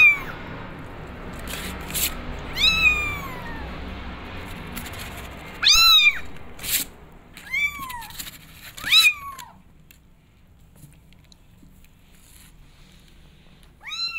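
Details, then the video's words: Kittens meowing to go outside and explore: a series of arching meows, several short and bright, with a few sharp clicks and knocks, then a pause before one last meow. "Adorable Kittens Wants To Explore The World They Are Meowing To Go Outside"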